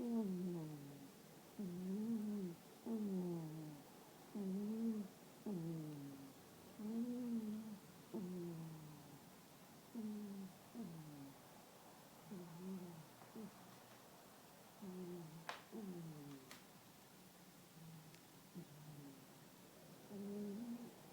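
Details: Toy poodle Rara sound asleep and snoring too loudly: steady rhythm of paired, nasal, whistling snores, each a wavering hum that rises then dips, repeating about every two to three seconds, softer toward the end, room otherwise quiet.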